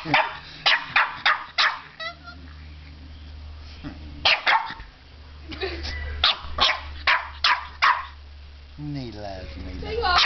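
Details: Puppy barks at a fake alligator head that has its teddy bear: a burst of quick sharp barks, a pause, then more scattered barks, with a person speaking and a low steady hum throughout.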